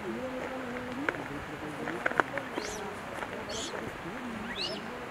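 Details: Several Japanese macaques calling during a collective group movement at Jigokudani, Japan. Low, drawn-out wavering coos overlap one another, with brief high rising squeals and a few sharp clicks or knocks.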